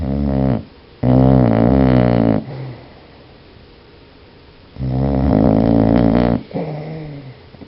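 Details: Dog Buscuit snoring while sleeping: three loud, droning, rattly snores, the longest near a second and a half, alternating with quiet in-breaths, plus a softer wheezy sound at the end.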